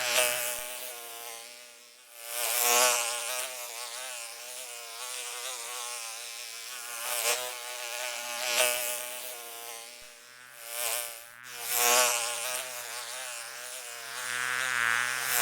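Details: Mosquito whine that swells and fades repeatedly, as if passing close by, with wavering pitch and bursts of hissy noise at each loud pass.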